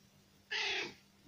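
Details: A domestic cat gives a single short, bright meow that slides gently downward, hesitating while being coaxed to meow.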